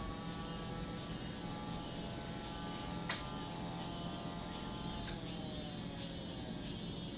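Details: Cicadas at Lake Kamo in Sado City, Niigata Prefecture, Japan: a dense, unbroken high-pitched buzzing drone fills the whole recording at a steady level, with faint sustained lower tones beneath.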